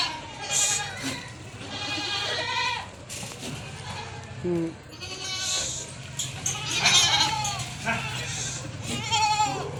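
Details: Goats kept on a farm giving repeated quavering bleats, some high and strained, others lower and shorter, several animals calling over one another, with a low hum and faint human voices beneath.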